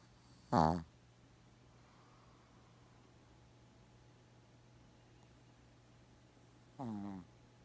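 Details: Sleeping Shih Tzu called Gaku, snoring like an old man. Two short, quieter snorts with a falling, rasping tone, about six seconds apart, with faint room noise between them.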